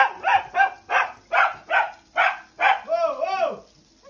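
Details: A Pembroke Welsh Corgi that dislikes its bath complains with a quick run of harsh, yelping barks that ends in a wavering whine.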